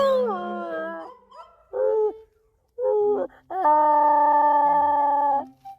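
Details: A Jindo dog, alongside a mixed-breed dog, howls in long, wavering tones, joining in as its owner howls.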